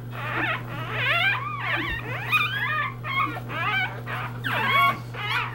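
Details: Three-day-old English Bulldog puppies in a litter squeal and whine in thin, wavering, overlapping cries over a steady low hum while seeking their mother's affection.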